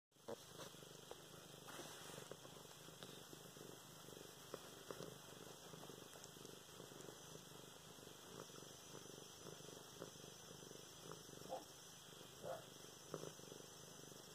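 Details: Domestic cat named Luna purring while being petted and played with indoors, filmed November 24, 2016; a low continuous rumbling purr with pulsing breaths and faint rustling of handling.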